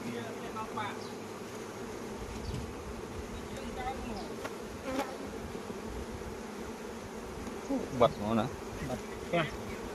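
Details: Honey bees at a Khmer honey farm during the Kor flower blooming season, a steady dense droning hum of many wings holding a low even pitch throughout, with a few brief human voices near the end.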